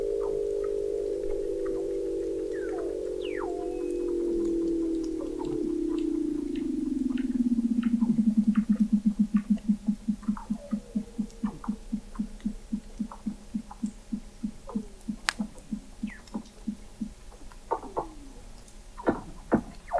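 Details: Weddell seal vocalizations from 21 m beneath sea ice in McMurdo Sound, Antarctica, November 2017, McMurdo Oceanographic Observatory: a loud, slowly falling drawn-out tone turns into a long pulsed trill of rapid regular beats, with scattered chirps and clicks from other seals.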